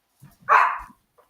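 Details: Puppy indoors at home during a party; a single short, sharp yelp-like bark of under half a second, with faint soft bumps around it.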